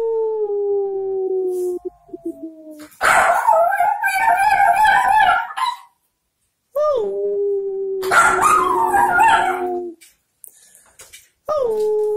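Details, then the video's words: Family dog howling indoors at home, long steady tonal howls with a slight downward slide, alternating with louder rough wavering bursts, separated by short pauses. "Our family dog howling"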